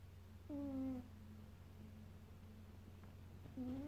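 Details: Leroy the Maine Coon asleep and snoring: one half-second droning snore, a quiet pause, then a second snore starting, all over a low steady hum.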